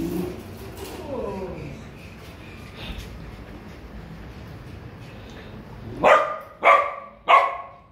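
A Siberian Husky lets out three loud, harsh barks spaced well under a second apart, each bright and ringing. A person's voice is heard briefly beforehand, followed by a quiet pause.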